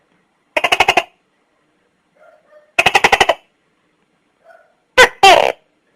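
A Tokay gecko gives fast, rattling bursts of clicks, then a loud, harsh two-note bark.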